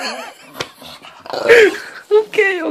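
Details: Female English bulldog, ten months old, whining indoors, described as making funny noises when she whines; wavering, warbling nasal whines in short bursts, one arching up then down, with people talking in French close by.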